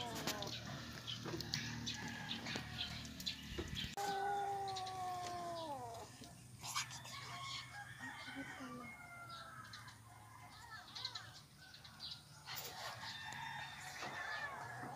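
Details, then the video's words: Abandoned, starving kittens found by the roadside crying loudly from hunger: repeated wavering, falling meows overlapping one another, with people's voices and background bustle throughout. "Abandoned kittens crying because of starvation | gutom talaga ang mga pusa"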